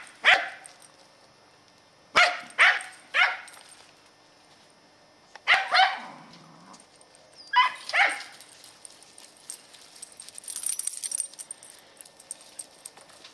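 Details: A 10-year-old Scottish Terrier named Katie on squirrel patrol in the yard, November 2008. Sharp barks come singly and in clusters of two or three, separated by pauses of a few seconds.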